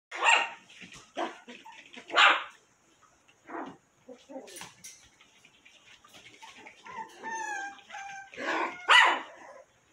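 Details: Cotonese mix puppies, five weeks old, giving short high yips and squeaky barks in bursts, with whining tones and soft rustling between calls.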